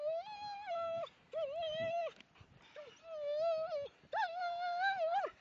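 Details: Two German Shepherds playing in snow at Millhouses Park, Sheffield, on 2 December 2010; drawn-out wavering whines, each held about a second, repeated with short silent gaps in between.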